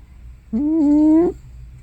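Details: Elderly tortoiseshell cat named Hana, likely over 15 years old, vocalizing loudly in her sleep as if snoring or sleep-talking; one sustained, even, humming moan of about three-quarters of a second that rises slightly at its end.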